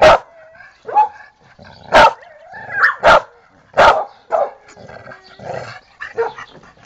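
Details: Pantera the dog, addressed as chica and Tera, gives irregular loud barks about a second apart, with softer whine-like tones between them and a Spanish-speaking voice nearby.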